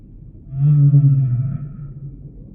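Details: Humpback whale song unit: one loud, deep, rich moan lasting about a second, steady in pitch with layered overtones, fading into soft low background hum.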